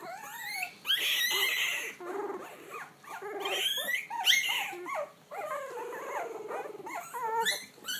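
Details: Puppies finding their voice together indoors: high sliding howls and yelps mixed with rough growly bursts, overlapping voices rising and falling, with a short pause midway before the chorus resumes.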